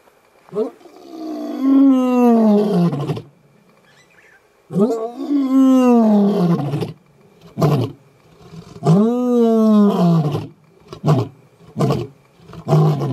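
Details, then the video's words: Northern Avoca male lion at MalaMala Game Reserve laying down a challenge to the Gowrie males: three long, full-throated moaning roars that rise then fall, each two to three seconds long, followed by short grunts. "A Northern Avoca male lays down a challenge for the Gowrie males."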